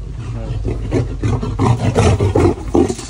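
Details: Lions at a zoo in Normandy, being vaccinated, give deep rumbling roars in repeated loud pulses, the grunts coming about twice per second, with a human voice briefly heard nearby.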